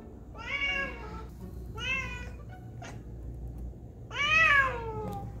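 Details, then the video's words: Female cat Basil meows at a squirrel she is watching: three clear, drawn-out meows, the last loudest and sliding downward, with a faint tap between them and low room hum. "When my cat sees a squirrel"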